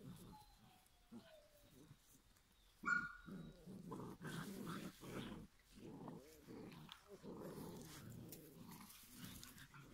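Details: Giant Schnauzer puppies from a Y-litter, aged 7.5 weeks, whine and growl in a busy, overlapping chorus of squeaky, rough little voices.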